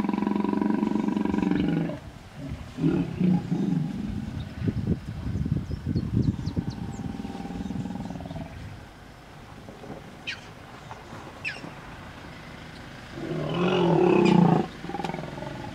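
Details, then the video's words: Female hippopotamus vehemently defending her young against an approaching male in a small pod, Vurhami River, Kruger National Park, South Africa; deep resonant bellows, rapid throaty grunting pulses, a quieter pause, then another loud roaring burst. "Epic Stand-off... 2 Hippos Kruger National Park. SOUND ON!!!"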